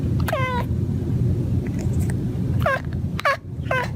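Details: Male cat mumbling to himself while hunting birds on a patio: four short, high mewing chirps, each sliding down in pitch, one early and three quick ones near the end, over a steady low rumbling background.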